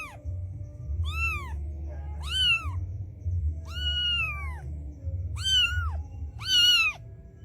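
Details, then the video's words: Street mother cat calling her white kitten to come to her: five high, arching meows with rich overtones, spaced about one to one and a half seconds apart, over a steady low hum. "A Mother Cat Calls Her White Kitten Come to Her"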